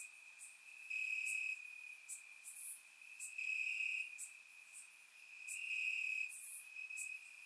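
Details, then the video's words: Crickets chirping in grass on a warm summer night in Bulgaria, recorded with a surround microphone: a steady high trill with louder pulsing bursts roughly every two seconds, plus faint higher chirps from other insects above. "Cricket Sounds - Crickets Chirping at Night"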